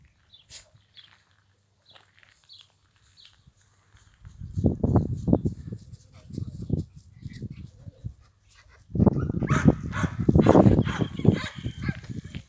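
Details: Illyrian Shepherd dogs, a five-year-old called Karabash with two puppies aged 5.5 months; after a near-silent start, deep rough bursts of barking or growling come in short clusters, then a louder, noisier run of sound from about nine seconds.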